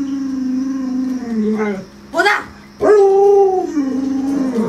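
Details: Luoluo the Alaskan Malamute howling at an owner who won't get up after the sun is high: a low, level moaning tone that bends downward, a brief noisy burst, then a rising, wavering howl that tapers off.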